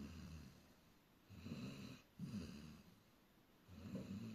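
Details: Sleeping dog snores peacefully, giving deep, throaty rattling breaths in slow succession, with soft pauses between each rumble and no other sounds nearby.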